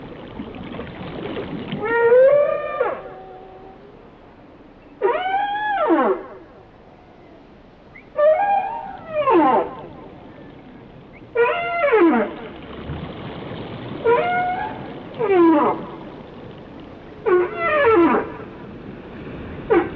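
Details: Whale song in a regular series of harmonic upsweeps and downward glides, phrases recurring roughly every three seconds, each wavering and bright, with quiet ocean background between them.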